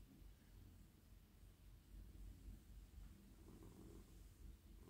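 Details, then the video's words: Domestic cat, a male, purring in a lap while petted on head, neck and body; a low, continuous rumbling drone, quiet and even, resembling gentle snoring, with slight touch noises. "Cosy cat purring"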